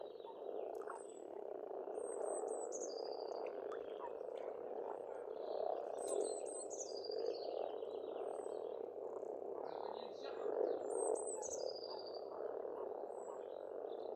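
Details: A continuous croaking chorus of frogs from an Estonian farmstead pond in spring, steady for fourteen seconds, with a bird repeating short descending whistled phrases about every three to four seconds above it.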